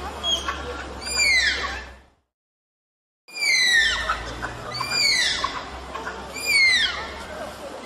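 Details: Malayan tapir giving shrill, downward-sliding squeals with bright overtones, several in quick succession, then a sudden break of silence before more squeals resume over a faint low hum.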